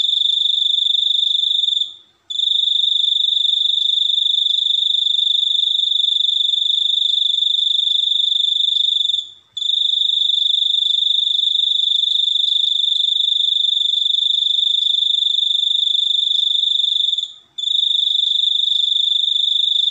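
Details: Continuous shrill cricket trill, a rapid pulsed buzz held at one high pitch for several seconds at a time, interrupted by short silent gaps about every seven to eight seconds, clean recording without background noise.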